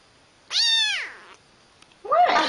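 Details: Pet cat indoors, a female addressed as pretty girl, utters a long rich meow that starts strong and slides down, trailing off, then a second shorter rising-falling meow begins after a brief pause.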